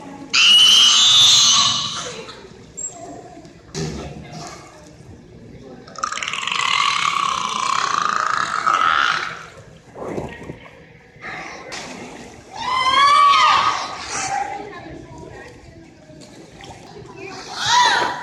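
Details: Captive belugas, the canary of the sea, at SeaWorld Orlando's Wild Arctic: a mix of high squeaky whistles, long rough burst pulses, and a fast run of rising chirps, with low hum between calls.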